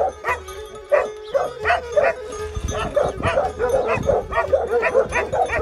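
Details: Plott Hound and Serbian Tricolor Hound in Georgiadis, Greece, 20 March 2020: loud, hoarse barks come in quick uneven bursts, about two per second with short gaps, over a steady low humming tone.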